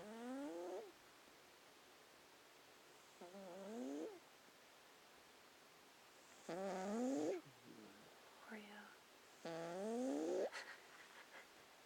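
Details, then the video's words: Snoring cat asleep, giving rising, whistly squeaks of about a second on each breath, four in the span with a few softer snuffles between them, spaced about three seconds apart. "Snoring cats"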